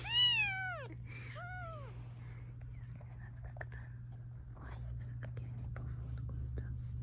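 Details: Mother cat guarding her kittens while they are filmed at home gives two strong arched meows in quick succession, then quiet shuffling and soft handling sounds over a constant low electrical hum.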